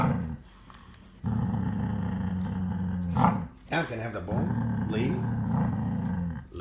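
A Siberian Husky gives long, deep, rumbling growls while guarding its food.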